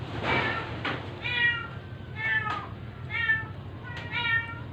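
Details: Sick, weak stray cat, apparently dying, being force-fed during a rescue; it gives four short, thin, tonal mews, one about every second, with rustling handling noise at the start and a low background hum.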